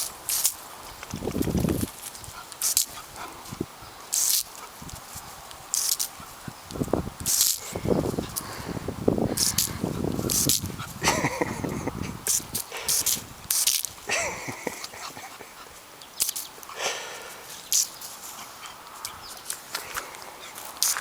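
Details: Emmy, a blue Shar Pei puppy, gives short, rough barks and huffs in irregular bursts spread across the recording, some low and grunting, others sharper, with brief human speech in between.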